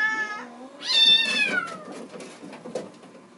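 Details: A Bengal kitten in the kitten room, seeing a person at the screen door and wanting to come out, gives a short meow, then a louder, drawn-out bawling meow sliding down in pitch, while littermates play on a cat wheel.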